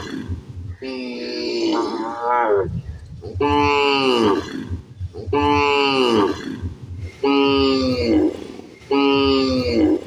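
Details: Cow with a calf eating in a field, mooing in long harmonic bellows that rise and fall, five calls about every two seconds, with low rumbling noise between them.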